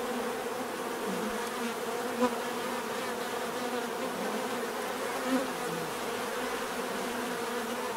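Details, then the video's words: Continuous low drone of many bees, a thick even hum with a couple of brief sharp ticks standing out against the buzzing swarm. "bees therapy relaxing natural buzzing sound"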